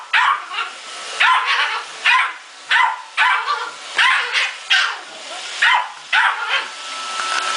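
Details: Muffin the male Yorkie barks at a Roomba robot vacuum in a fast, steady volley of high-pitched yaps, roughly two per second, with a low electric hum continuing under the barking.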